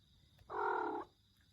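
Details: Domestic cat with an odd voice utters one half-second meow, steady and level in pitch with a buzzy, nasal tone, starting and stopping abruptly against a faint background hum.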